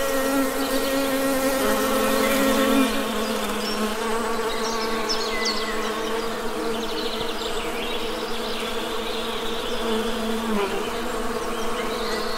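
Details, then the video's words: Loud, rich honey bee buzzing in nature, several overlapping hums sliding slightly up and down in pitch as bees fly near, with faint bird chirps behind. "Best Honey Bee Sound!"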